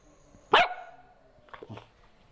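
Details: Dog in a dog fight: one loud sharp bark, then about a second later two softer, brief yelps or thuds.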